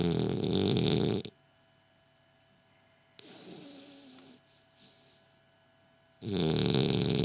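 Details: Gilbert, a French Bulldog, asleep with eyes open: a loud, harsh rasping snore lasting about a second, then near silence, a soft breathy exhale, and another loud rattling snore starting up.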